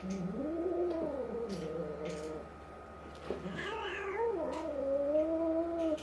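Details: Indoor domestic cats, a tabby resident cat about five to six months old and a new two-month-old black kitten, fighting as the battle intensifies. A long, wavering, low growling yowl slides up and down throughout, with a brief higher squeal in the middle.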